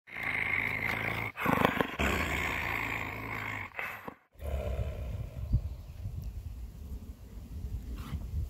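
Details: Coyote growling after being spooked and taking a person's glove, recorded May 13, 2021; low rumbling, harmonic growls in two long bursts with a short break, followed by quieter rustling and handling noise.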